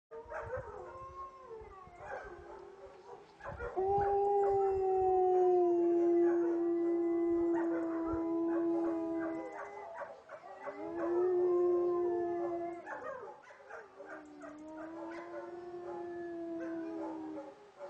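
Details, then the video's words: Dog howling together with his father Aron at a nearby cottage, 2009; long sustained howls holding a steady pitch, each several seconds, sliding gently downward at the ends, with a second voice overlapping and short yips between. "Xtreme howling 2009"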